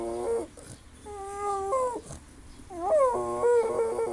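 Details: A dog making funny noises gives drawn-out, wavering whines that bend up and down in pitch, like a talking moan.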